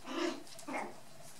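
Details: Two short, high yappy barks from 4½-week-old white dwarf and toy poodle puppies playing with a brown dwarf poodle female, the second bark softer and briefer than the first.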